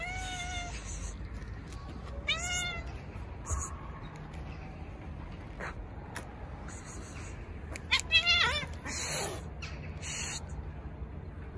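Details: Stray cats in an Istanbul park crowding around a volunteer who pets a tuxedo cat; several short rising meows spaced apart, with rustling and brief clicking noises between calls and a low background hum.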